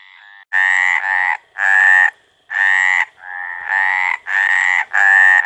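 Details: Mating call of a Mediterranean tree frog (Hyla meridionalis): eight loud, rasping croaks within about five seconds, some in quick pairs, others spaced by brief silences.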